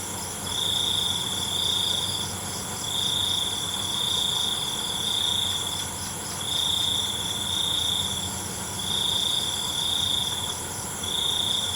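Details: Crickets calling in the night: piercing, even trills lasting one to two seconds follow one another with brief gaps, backed by a continuous high hiss of more distant insects.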